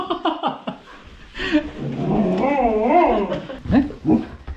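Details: Lena, a female Border Collie born November 2014, grumbles after waiting home all day: short yips, then long wavering, rising-and-falling moaning whines, then clipped vocal bursts, with soft human laughter nearby indoors.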